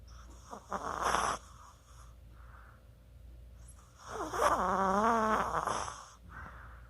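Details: Chihuahua snoring while asleep, 24 October 2020: a short harsh snore, a pause of soft breathing, then a longer rattling snore carrying a wavering whistled tone that rises and falls, ending in a gentle exhale.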